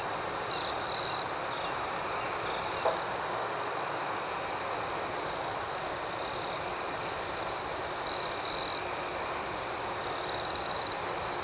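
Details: A night chorus of crickets keeps up a steady shrill trill. Brief louder buzzy chirp bursts break through three times: early, past the middle, and near the end.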